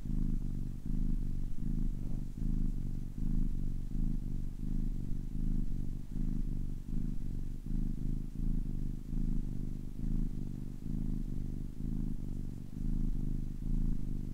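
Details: Young kitten, ten weeks old, purring in a continuous low throbbing drone, each breath cycle giving a slight swell, around 78 pulses a minute, nothing else audible.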